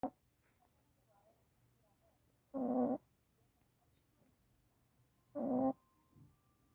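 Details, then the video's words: A one-year-old puppy that had been unable to sleep because of seizures, now asleep and snoring: two short, rough, breathy snorts about three seconds apart, with quiet stillness between them. "경련발작으로 못자던 한살강아지가 코고는 소리 puppy snoring without compulsion"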